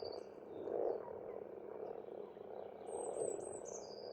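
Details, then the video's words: Frogs croaking in spring at a pond in Estonia, the chorus swelling in two louder waves, with a high bird song sliding downward in the final seconds. "Расслабляющее пение птиц и лягушек"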